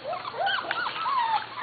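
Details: High, drawn-out squeals from Corgi puppies almost seven weeks old, litters of Katie and Venus, sliding up and down in pitch, with overlapping whines filling the moment.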